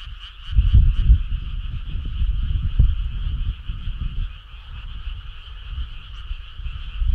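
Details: Many frogs calling at night in summer countryside, a continuous throbbing chorus of rapid pulsed notes, overlaid by loud irregular low rumbling throughout.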